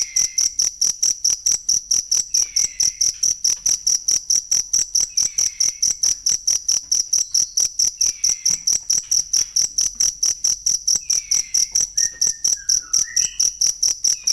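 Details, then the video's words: Shrill, evenly pulsed cricket chirping, a recording meant for tutoring songbirds. It runs without pause, while quiet downward whistles recur in the background and a few brief bird-like notes appear near the end. "ASLI SUARA JANGKRIK BUAT MASTERAN BURUNG"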